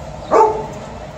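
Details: One brief, full-voiced woof from Liza the Alaskan Malamute, kept indoors while waiting for family and the Golden Retriever TJ to arrive home.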